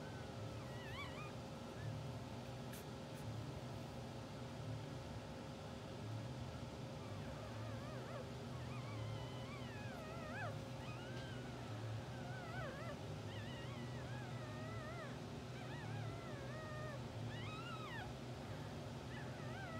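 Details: Two-hour-old English Bulldog puppies from a blue sable litter, sleeping, twitching and dreaming on a live puppy cam; thin high squeaks and wavering whines come in scattered bursts, mostly in the second half, over a steady low hum.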